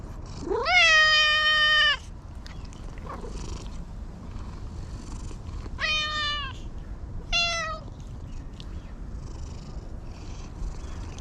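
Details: Talkative stray cat being petted, uttering a loud rising-then-held meow lasting over a second, followed by two shorter bright meows, against a quiet background with light low noise.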